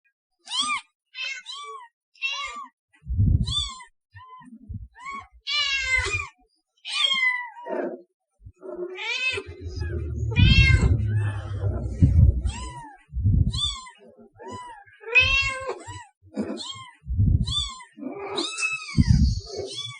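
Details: Domestic cat meows offered to attract cats: repeated short rising-falling meows, some nasal and some drawn out, in quick series with brief gaps, alongside low thumping handling noise and rumbling in between.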